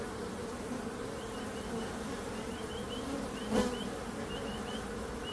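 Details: Low continuous bee buzz, with a faint series of short, high chirps repeating in the background throughout and one sharp click just past three and a half seconds.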